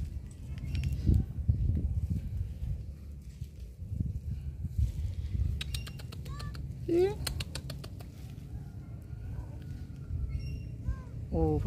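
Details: Kitten calling for its mother, left behind while she went to mate and not yet nursed, later given rice mixed with fish: a few short rising, harmonic meows near the middle and at the end, over people talking and a low rumble.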